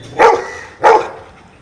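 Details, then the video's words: Counting trick by a dog: a pair of clear barks about 0.6 seconds apart, short and mid-pitched, with a faint room hum behind. "Dog knows numbers"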